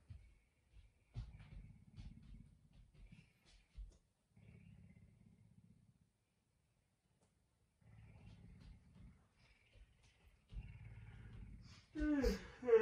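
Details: Messi, a pet puma kept at home, early in the morning when he wakes his owner around 5 a.m.: soft, low rhythmic purring in bursts of a second or two with quiet pauses, ending in a brief louder, higher voiced sound.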